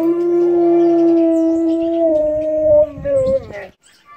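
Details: Pet Siberian Husky howling in response to an elotero's horn; a sustained level howl holding its pitch for nearly three seconds, then wavering and breaking off, with other faint sounds in the background.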